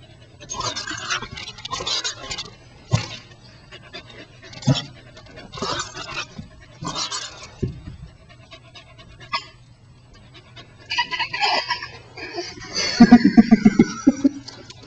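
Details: Welsh Corgi named Shelby, a pet, playing with a rubber ball and recorded very close up: rhythmic breathy panting bursts roughly every second, then a short run of tonal, whine-like voiced notes near the end.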